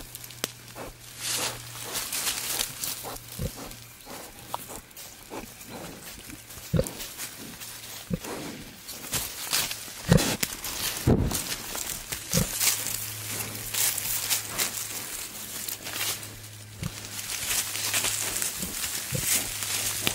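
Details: Male wild boar courting a female in the wild: a steady, deep rumbling grunt drone at the start and again in the second half, with crackling footsteps and rustling through undergrowth.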